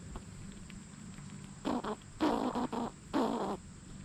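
A squirrel makes a few rough, nasal chattering bursts, each lasting under a second and coming in quick succession. A constant high, thin hiss runs underneath throughout.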